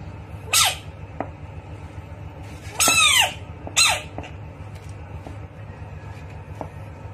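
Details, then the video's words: Bullfrog screaming during a fight with a rat; three loud, harsh, high-pitched screams with downward-bending tones, each under half a second, spaced irregularly over a steady low background hum. "Bullfrog vs rat 🐀 what will happen? Screaming frog"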